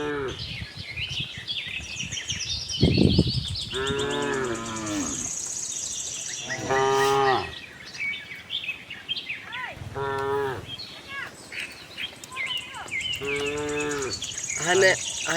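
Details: Herd of tame cows roaming a cattle farm, searching for fresh grass: four separate moos over fifteen seconds, some wavering and falling, others short, backed by steady chirping of small birds and a brief low thud.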